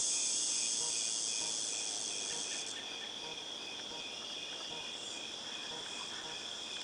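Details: August 2018 cicadas: an intense shrill buzzing drone that drops in loudness after about three seconds, then continues as a softer steady hum.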